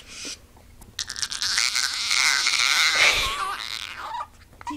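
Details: A pet dog named Lucy giving her odd version of a whine: one sustained, loud, harsh wail of about three seconds with a wavering high tone, fading out, followed by a person's voice.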